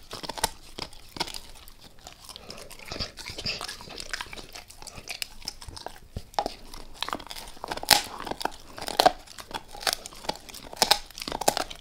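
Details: A dog named Max crunches into a beef rib, going all in: dense crackling bites and sharp snapping crunches in irregular bursts, growing louder and busier toward the end, with no voices.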